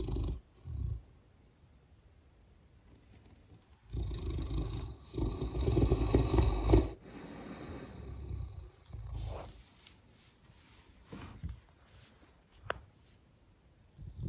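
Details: English mastiff named Gunther snoring: low rumbling breaths, a short snore near the start and a long loud harsh snore around four to seven seconds, then softer uneven breaths with faint room noise.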